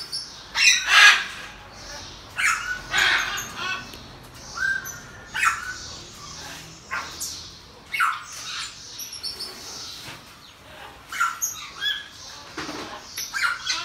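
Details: Pet pygmy marmoset, mother of two babies, chattering in a rapid run of brief scratchy squawks and chirps, loudest at the start then softer, with faint high whistles between.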